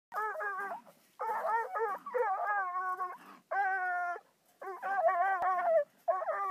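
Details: A 5-month-old Bluetick hound bays at a raccoon during his second encounter with one; loud, ringing bawls come in bursts of about a second, some held steady and some wavering, separated by short silences.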